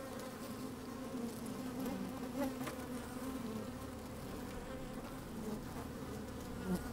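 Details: Honey bees working inside an open hive on a fine, sunny day, microphone slid down among them: a steady low hum with brighter buzzing tones drifting in and out, and faint clicks and crackles as the bees move about.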